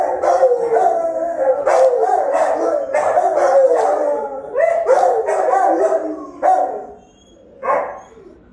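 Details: Rottweilers guarding the house, caught on a camera they had discovered; a dense run of overlapping howl-like barks and yelps, several voices layered almost continuously for six seconds, then two short final calls.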